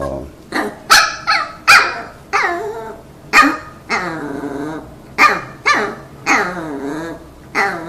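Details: Dogs eager for treats at home bark and whine; loud harsh barks mixed with drawn-out wavering whines and yips, spaced irregularly through the stretch.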